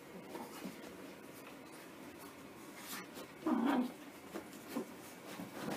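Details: Puppies playing together in a small indoor room after their bath; one short, low grumbling whine rises midway, followed by a fainter brief squeak, with light rubbing and scuffling noises between them.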